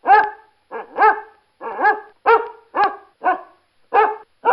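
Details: Dog barking steadily in rich, harmonic yelping barks, some doubled, about eight bursts in under five seconds with short pauses between.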